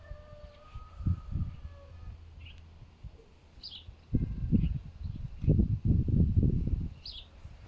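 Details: Pig-like grunting from a pet fox saved from a fur farm, recorded outdoors in strong winds: two short low grunts, a pause, then a dense run of deep, rasping grunts; thin bird chirps sound above.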